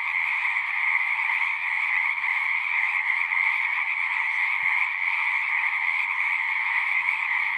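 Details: Pond frogs in a horse pasture singing en masse, recorded with a Zoom recorder: a steady, shrill, layered trilling drone, with one brief soft click partway through.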